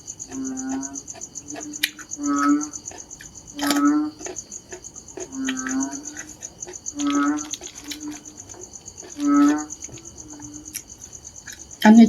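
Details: Narrow-mouthed frogs calling in a series of low, nasal, moaning notes, each swelling into a buzzy harmonic drone, repeated roughly every one to two seconds, with a constant high-pitched insect trill behind and a sharp knock at the end.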